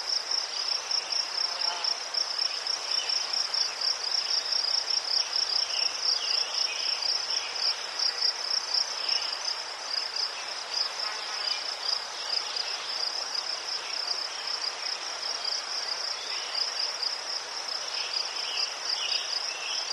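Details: Crickets in Ukraine, among chrysanthemums, keeping up a dense, continuous high-pitched trill with a steady pulsing shimmer, joined by fainter, lower chirps from other insects scattered throughout.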